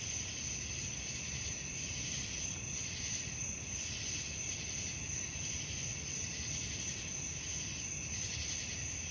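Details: Crickets chirping at night in a thick shrill drone, pulsing about three times a second, with a faint low rumble underneath.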